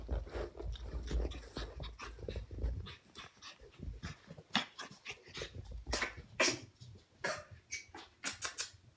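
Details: Cream Pomeranian puppy panting in quick, short breaths with soft snuffles and scuffling sounds, followed by sharper bursts of breathy noise.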